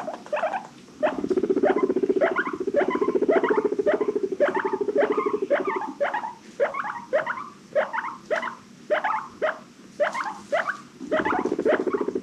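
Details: Several pet guinea pigs from an adopted rescue herd wheek happily: stuttering upswept squeaks in rapid clusters over a low steady hum that fades mid-clip and returns at the end.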